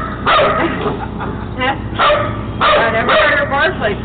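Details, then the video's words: Three-month-old German Shepherd Dog puppy barking on spotting a man coming out of the woods; high yelping barks in bursts, some wavering, with short pauses between groups. "German Shepherd Dog spots man coming out of the woods"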